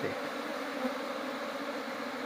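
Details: Honey bees during a honey harvest, a dense, steady droning hum with a low buzzy tone and a higher overtone, holding even and unbroken throughout with no clear pauses.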